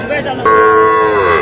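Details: Sahiwal bull and heifer calves at a Tangail cattle market in Bangladesh, 7 July 2025, being bought by a farmer: one steady, drawn-out moo lasting about a second, with a slight downward bend at the end over faint background murmur.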